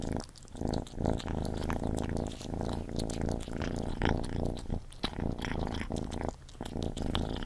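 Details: Gordy, a pet cat, eating close to the microphone: a steady low purring hum runs throughout, broken by crisp wet chewing clicks and smacks, with brief pauses between mouthfuls.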